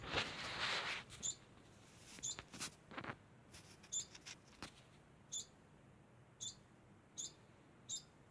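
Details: Constantly calling degu: brief high chirps repeated at uneven intervals, with a burst of broadband noise at the start and a few loud knocks and rustles in the first half.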